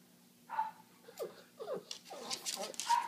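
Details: Indoor pug giving brief high, thin whines near the start and end of the clip, after failing to find steady footing to sit; a man talks to the dog in between.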